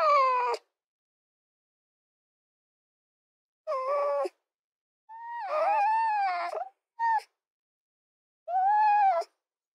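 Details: A fox giving harmonic whining calls: short wavering cries, then one longer call of about one and a half seconds that bends upward and falls, followed by a brief yip and a final whine.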